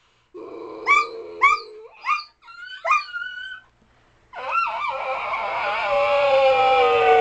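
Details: Dog giving a run of short rising yips, one every half second, then breaking into a long wavering howl that swells louder toward the end.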